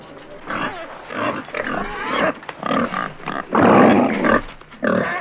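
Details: Wild boar giving rough grunts and squeals in uneven bursts, with one long loud harsh squeal near the end, followed by shorter calls; some faint lower grunting underneath.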